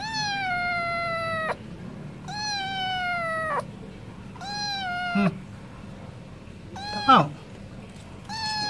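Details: Stray cat meowing while wanting wet food: four long, steady, slightly falling harmonic meows of about a second and a half each, with short gaps between them and a brief rough squeak near the end.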